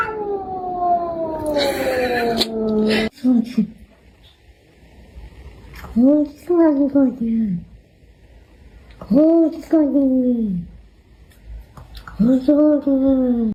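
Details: Cat indoors opening with a long, slowly falling meow, then pausing and giving three short arched meows roughly every three seconds, each rising and dropping in pitch, with quiet gaps between.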